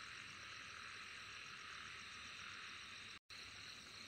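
A steady, dense insect chorus fills the air with a high, hissing shimmer and faint pulsing trills.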